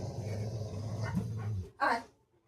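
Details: Rottweiler pet dog giving a low, steady rumbling growl for about a second and a half, then one short, loud bark; a woman talks in Bengali close by.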